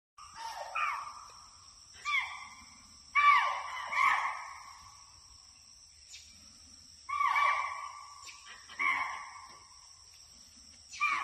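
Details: In a forest, a deer gives loud, harsh, falling cries in short bursts, with a steady high insect hum behind.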